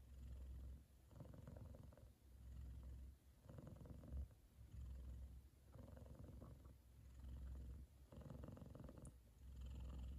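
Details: Male F2 Savannah cat purrs contentedly, fast asleep with his brother resting on top of his head; a low, throaty rumble rising and falling about every two seconds in steady breath-like cycles, a quiet indoor background.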